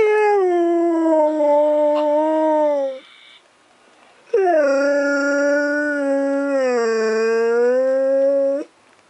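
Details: A Siberian Husky, recorded at night around 11 PM on 2 December 2014, gives two long, steady howls with rich harmonics, each gently falling and wavering in pitch.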